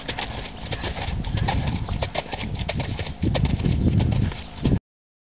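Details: A four-year-old stallion moving with rapid, choppy hoofbeats, a stream of sharp knocks and thuds that grows louder and rumbling toward the end before cutting off abruptly.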